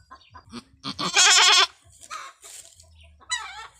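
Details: Female goat with long horns in a hard first birth on a small backyard farm: a loud, vibrating, strained half-second bleat in the middle, amid shuffling noises and a faint later call.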